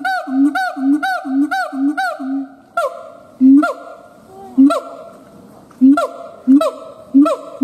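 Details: Siamang gibbons howling, opening with a quick run of about six short rising whoops over low booms, then slower, spaced barks and booms with pauses between.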